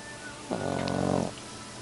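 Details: Dog asleep and snoring: one drawn-out buzzy, rasping breath lasting under a second, with quiet background hum before and after.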